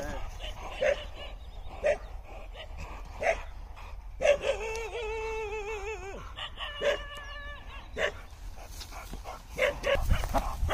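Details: American Bully, described as aggressive and out of control: short sharp barks about once a second, with a long wavering high whine midway, over a steady background hum and some human voices.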